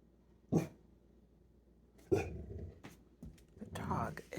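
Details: A goldendoodle barking at a child's doll in September 2022 gives two single, deep barks about a second and a half apart, then a person speaks.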